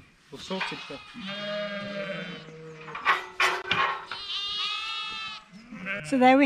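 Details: Ewes and lambs over two weeks old, just moved to a new pasture away from the farmhouse, bleat over one another, wavering calls as lambs seek their mothers before settling.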